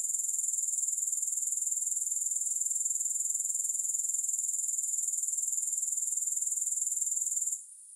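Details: Grasshopper stridulation with no music: a bright, very high trill of quick regular pulses. It stays even and unbroken for about seven and a half seconds before dropping suddenly to a faint hiss at the end.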